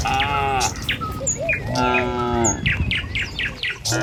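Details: Cattle moving along a village road toward their pen in the morning give two drawn-out harmonic moos, the second level and sustained, while sharp bird chirps and clicks of hooves sound around them.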